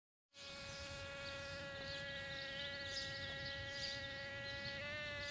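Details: Bumblebees mating in a back yard give a steady, unbroken buzz with a stack of even harmonics, holding one pitch and dipping slightly near the end.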